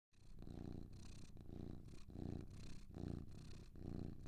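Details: Two domestic cats purring together: a steady, low rumbling purr pulsing in and out in rhythmic breaths about once a second, close and clear with no other sounds.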